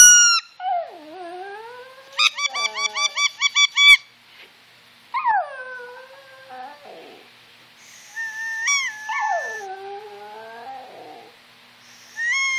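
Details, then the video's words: Brooke the Yorkshire Terrier howls along with squeaker toys and whistles. Swooping howls rise from low and level off, alternating with rapid trains of shrill squeaks, a whistle-like tone, and a wavering howl that trails away. "Howling yorkie"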